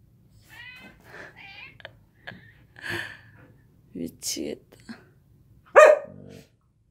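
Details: Samoyed named Gomi indoors in the morning, making babbling sounds at its owner: short whiny, warbling yips and murmurs scattered through the room, ending in a louder yelping whine, with a person's amused voice in between.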